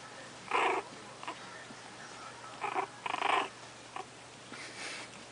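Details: Puppies growling while playing indoors: short rough bursts of noisy growls, a few in quick succession, with quiet gaps between.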